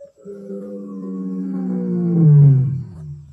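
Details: Two Kambula male lions, great-grandsons of the Mapogos, roar at sunset on 9 October 2024 in the Kruger/Sabi Sands area: a deep, moaning roar swells to a loud peak, then fades.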